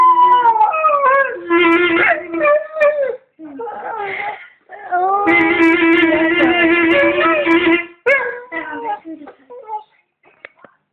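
A Staffordshire Bull Terrier howls in wavering, sliding tones over a held clarinet note.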